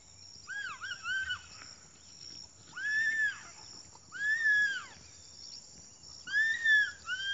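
An English Bulldog gives high, arched whining calls that rise and fall, in short bursts.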